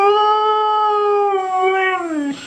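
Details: Dog talking to its owners at home with a long, steady, tuneful howl held for about two seconds, then sliding downward and breaking off at the end. No other sounds compete.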